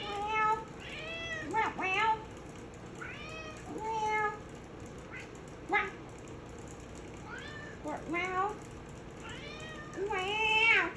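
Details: A female Maine Coon cat gives a series of drawn-out, arching meows, each rising then falling in pitch, singing along as a person repeatedly says "meow".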